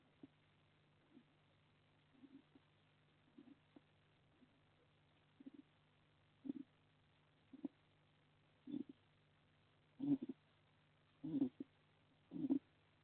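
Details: Sleeping hedgehog snoring in a shelter in a garden in Las Merindades de Burgos, Castilla y León, Spain, on a live wildlife camera: soft, low, breathy pulses roughly every second, growing louder toward the end, over a steady low hum.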